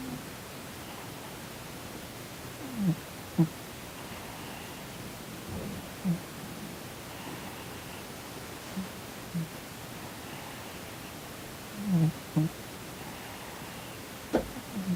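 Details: Sonny, a chubby Korean shorthair cat, snores while twitching in his sleep, seemingly having a nightmare; short low rasping snores come every one to three seconds over a quiet indoor hiss.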